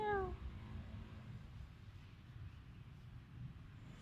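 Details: Cat in a Khmer village in Cambodia, captured on a Samsung mobile phone: a single short, clear meow sliding downward at the very start, then only low background hum.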